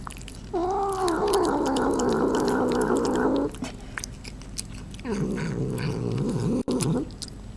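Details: Pet cat making murmuring, humming noises while eating indoors; two drawn-out wavering vocal stretches of about three and two seconds, with clicking chewing sounds throughout.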